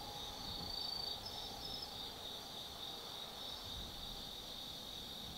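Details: Autumn insects singing at night in the Tsukimi no Mori forest, Kaizu, Gifu, Japan, from a lookout 180 m above the Nobi Plain: a dense, steady high trilling chorus with brief brighter chirps layered over it, faint low rumble beneath.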